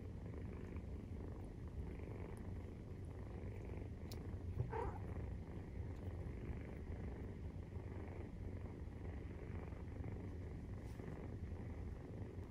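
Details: Maine Coon cat purring while nursing, kitten 43 days old; the low, droning purr holds steady for the whole stretch, with one brief soft squeak midway and faint clicks.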